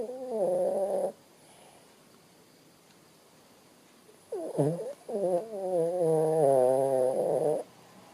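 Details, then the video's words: A sleeping Shih Tzu named Bo Bo snores with a tonal, wavering, nasal sound. One breath lasts about a second. After a quiet pause, a longer three-second stretch follows with a wobbling, whistle-like pitch. "bo bo Sleeping dog ..snore"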